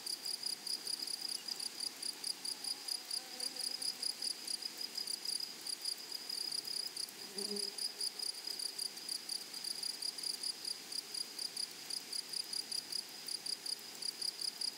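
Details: Grasshoppers in a flowery meadow: a high, thin chirping pulses steadily about three times a second, with a short break midway where a faint low murmur intrudes.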